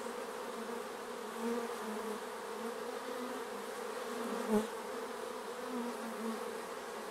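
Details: Steady buzzing of bees around their hive, a dense humming drone with brief louder fly-bys and one sharp tap midway.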